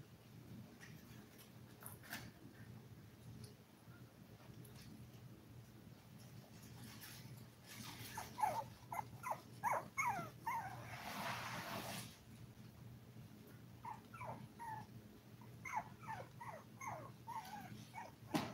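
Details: Litter of seven toy poodle puppies, five weeks old, shown eating, playing and sleeping live: quick runs of high, sharp yips and squeaky whimpers in two busy spells, with rustling and a constant low hum beneath.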